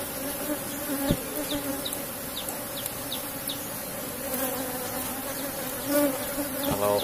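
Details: Strong colony of Asian honey bees in a cultivated box hive, honey being harvested: an unbroken, even, droning buzz with short high zipping passes of single bees and a man speaking at the end.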